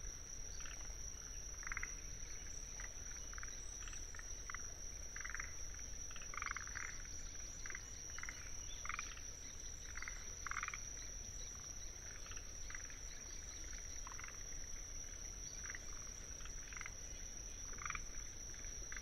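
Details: Rhacophorus arboreus calling in a Tsuruoka wetland, Japan, on 19 June 2021, captured with paired Sennheiser mics: irregular short knocking croaks from several frogs, denser early then sparser, with Kinhibari crickets trilling steadily high above and faint low rumble.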